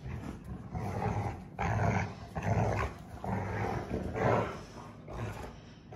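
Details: Two Rottweiler sisters growl in rough, rumbling bursts during a playful tug-of-war.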